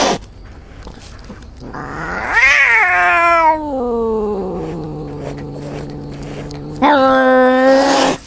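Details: Outdoor cats in a forest, one said to be injured, amid a fight between two cats: a long wailing caterwaul that rises, then slides slowly down into a low drawn-out moan, followed by a second loud harmonic yowl near the end.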